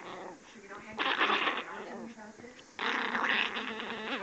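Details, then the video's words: Angry female puppy giving high-pitched growls in two loud, rough bursts separated by a quieter rumbling stretch, with some human voice mixed in. "demon puppy growling"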